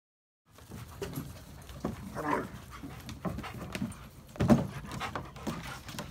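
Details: Four dogs, Odin the German Shepherd, yellow Labrador Retrievers Remington and Hannah, and Midnight the black Lab, a former stray, together; short whining, growly vocal bursts near the middle and end over a constant low rumble.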